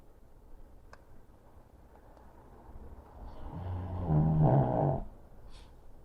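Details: Pug sound asleep on his favorite chair, wedged behind the chair's pillow, recorded July 2023; quiet breathing rises into one loud, rumbling, low snore lasting about a second and a half before fading back to soft breaths.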